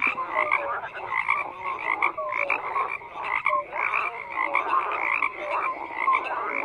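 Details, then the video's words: Dense frog chorus of overlapping croaks, pulsed rattling calls and short tonal chirps, repeated in quick bursts without pause and with nothing else heard. "FROGS CROAKING"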